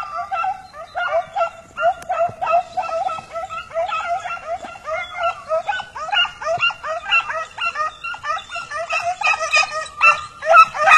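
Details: Pack of hunting dogs chasing a hare in Turkey, voices rising as the hare bolts: dense, continuous high-pitched yelps and baying from many dogs overlapping in a steady, excited chorus throughout.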